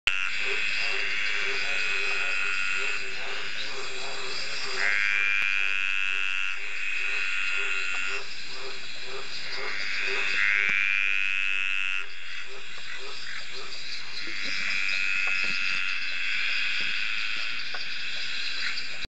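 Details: Male dainty green tree frogs (Litoria gracilenta) give drawn-out, buzzy, rising courtship calls over a chorus of other frogs on a rainy summer night at Ocean Shores near Byron Bay, Australia.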